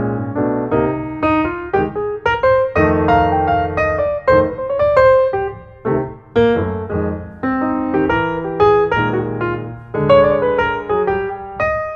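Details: Solo piano music plays a lively melody of bright, ringing chords and runs throughout, with no animal sound.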